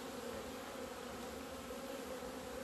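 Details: Honey bees leaving their hive on a sunny 17 February 2020 after two winter months indoors, a thick, level humming buzz from many insects at once.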